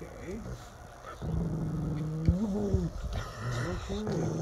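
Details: Mastiff or shepherd dogs growling: low, rumbling, sustained growls with a steady droning tone, broken by short rising whine-like inflections near the end.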